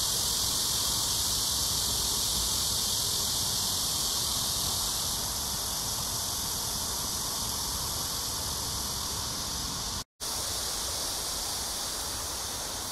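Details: Summer cicada chorus in early evening, 6 to 7 PM, July 26, 2021, along the Han Riverside at Amsa Ecological Park in Seoul, South Korea, during hot weather: a continuous shrill buzzing wash that softens slightly, with a brief silent dropout near the end.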